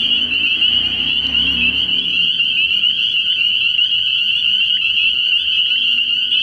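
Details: Spring peepers calling at night from a frog pond early in the year: a dense chorus of high, shrill peeps merges into one steady ringing wall of sound, with faint low rumbling beneath in the first two seconds.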